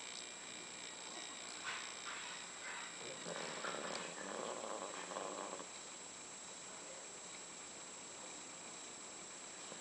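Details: Pet dogs Candy and Frank sleeping quietly in their last days; a breathy, noisy snore swells for about two and a half seconds mid-clip, with a faint steady high hum and soft background hiss.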